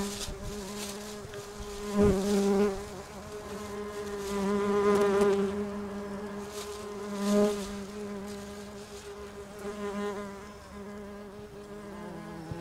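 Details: Buzzing of bumblebees at their nest in a house roof, a continuous deep hum with many overtones that swells and fades repeatedly as individual bees fly close by and away again.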